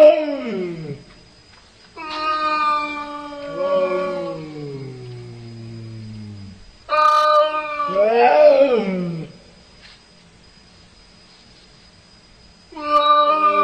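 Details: Cats talking to each other with a series of long, wavering meows, some sliding downward into low moans. A wailing, caterwaul-like call comes near the middle and a fresh meow starts at the end, with quiet pauses between.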